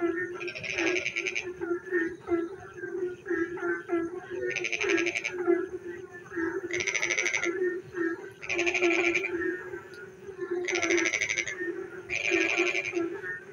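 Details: Night chorus of frogs during rain: a continuous low rhythmic croaking drone, topped by loud raspy trilling bursts about half a second long that return roughly every two seconds, with softer chuckling calls between them.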